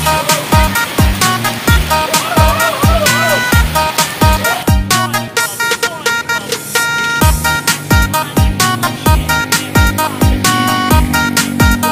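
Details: Loud electronic dance music with a driving regular beat and synth notes, with no animal sounds.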